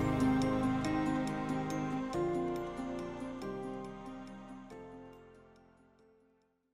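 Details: Soft, fading piano-like music with gently struck notes and ringing chords, and no animal sounds.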